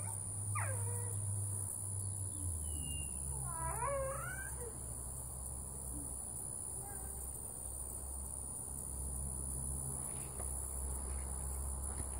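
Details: Sleeping female dog letting out brief high whimpers and squeaky yips in two quick bursts early on, followed by quieter faint moans against a constant low electrical hum.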